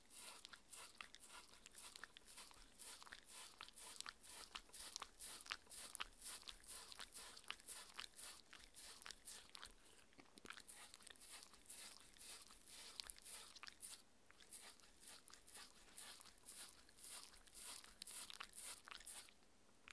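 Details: Mindy, a six-year-old Shetland Sheepdog, eating her raw beef dinner indoors: steady wet crunching and biting, about two bites per second, with smacking chews and brief pauses, no talking.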